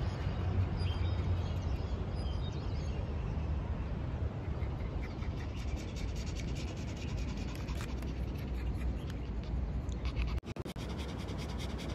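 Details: Steady low rumble of wind or traffic fills the whole recording, with a few sharp clicks and brief handling noise near the end; no animal voice is heard.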